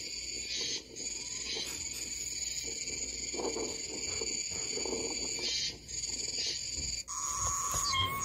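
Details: Japanese cicadas droning continuously in layered high buzzy bands, the chorus briefly dipping and then shifting in tone near the end, with a fainter lower hum beneath.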